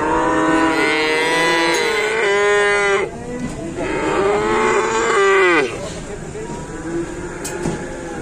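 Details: Cattle just brought into an Indonesian pen moo loudly in two strong bursts, the second rising then sliding down sharply, followed by quieter background lowing and faint pen noise.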